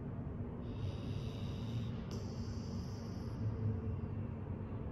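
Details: A male Golden Retriever snores softly while asleep, with low, rumbling breaths that swell and fade every few seconds.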